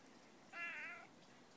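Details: Pet cat giving one brief, soft, level meow of about half a second against faint background hiss.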